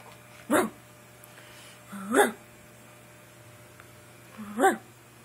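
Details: Pekingese named Baby Sister giving three short sharp barks spaced about two seconds apart, each a brief rising yelp, indoors in a quiet small room with a steady low hum.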